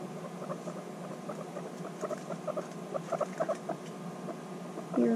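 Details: Annie and another female guinea pig, reunited after six months and bonding intensely, give a steady run of quick pulsed chatter, with a woman's voice starting at the very end.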